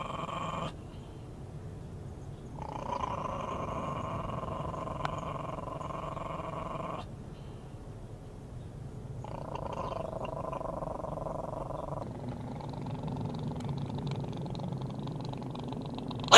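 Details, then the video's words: A Chihuahua threatening to bite growls in long, steady, rumbling bouts lasting several seconds each, with short pauses between them, while a man speaks to it. "Scary chihuahua video"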